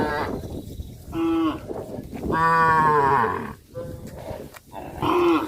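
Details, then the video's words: Cows of a herd walking in a village rice field, mooing repeatedly: a short moo, then a long loud rising-and-falling harmonic moo, then further brief calls, with a low background rumble. "A herd of cows walking and jumping in the rice field area, sound of cows"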